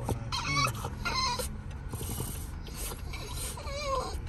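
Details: French Bulldog; whining vocalizations; throwing a tantrum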